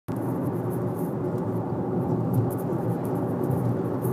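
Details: Steady car engine and road rumble throughout, with no animal voice.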